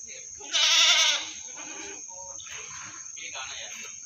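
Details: Meat goat at the Singosari animal market in Malang gives one loud, tremulous, wavering bleat lasting about half a second, followed by quieter murmuring voices and market bustle.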